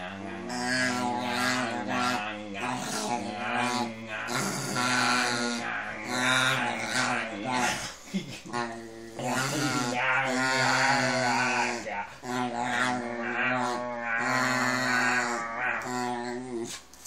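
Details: A dog named Max makes a long run of mad, talking-like mumbles: throaty, harmonic grumbles that rise and fall in pitch, with short breaths between phrases, lasting over sixteen seconds indoors.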